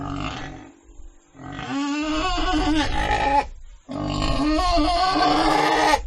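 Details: Pig giving loud, strained squeals in two long bouts, each about two seconds, with a wavering, quavering pitch and a rough, noisy edge, separated by a short pause.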